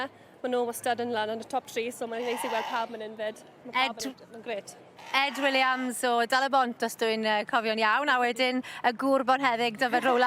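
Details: Flock of Welsh Black Mountain Sheep calling, with a dense run of bleats of varying lengths, tremulous and nasal, overlapping in bursts with a few brief gaps and a faint low hum.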